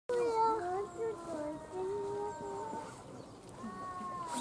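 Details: A snow leopard at Tama Zoological Park, Tokyo, Japan, gives drawn-out, moaning yowls that waver and glide in pitch.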